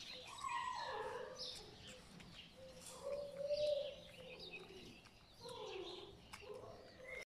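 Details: Puppies of My Black Butterfly and Bayleys give drawn-out, falling whimpers, one near the start and a steadier, longer whine mid-way, over soft background hiss and faint high chirps.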